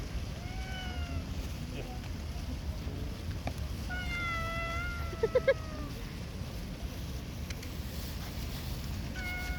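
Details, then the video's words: Stray cat being fed in a park under shady trees meows several times, with level and gently wavering drawn-out cries and a short one at the end, while people talk in Persian nearby. "Feeding Cute Stray Cat in Park"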